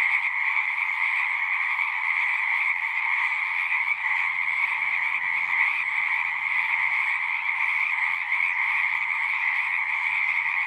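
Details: Pond frogs in a horse pasture, Zoom 6 recording, singing as a thick, constant high-pitched chorus; faint low rumbling sounds appear underneath partway through while the trilling carries on unbroken.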